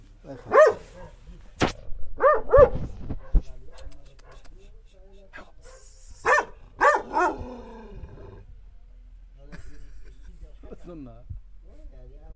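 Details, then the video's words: A dog reacting to a mirror barks in short clusters: one bark, then a pair, then a run of three, with long quiet gaps, soft human speech and faint handling noises. "the dog vs mirror الكلب و المرآة"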